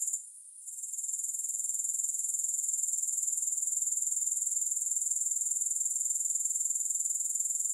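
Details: Grasshoppers chirring with no music: a steady, very high, shimmering trill pulsing about four times per second. It starts after a brief hush in the first second, then holds an even level throughout.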